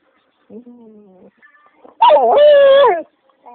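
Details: A cranky dog that wants to be left alone, singing: a faint low droning note, then a loud warbling howl that rises and dips over about one second.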